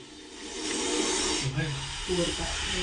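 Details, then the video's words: Aggressive cobra in a bathroom, lunging straight toward a person; a broad, breathy hiss swells over the first second and a half, then a human voice takes over, with the hiss fading underneath. "बाथरूममध्ये आक्रमक नाग 😱 डायरेक्ट अंगावरच येत होता.आवाज ऐका"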